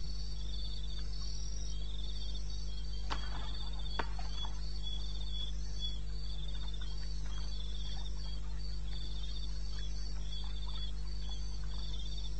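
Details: Crickets in eastern Botswana wilderness at 2:30 AM, 21 May 2016, producing softer high pulsed trills in layered bands, broken by two sharp clicks early on, over steady low-frequency hum.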